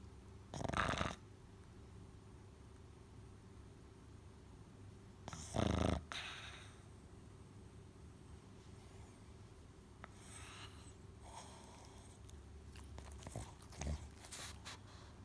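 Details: A sleeping black pug snores in rough, breathy bursts spaced several seconds apart over a low steady hum.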